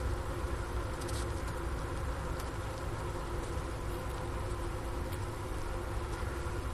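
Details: Honey bees in their hive during a 15°F winter afternoon, January 16, 2024, at the Ohio State University Wooster campus, miked through the inner-cover hole beside a sugar brick: constant low murmuring buzz with slight soft ticks above it.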